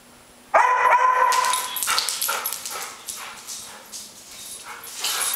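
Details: Airedale Terrier picking on another Airedale: after a quiet start, a sudden sustained high whine leads into a run of harsh, scratchy growl-barks that fade and then swell again near the end.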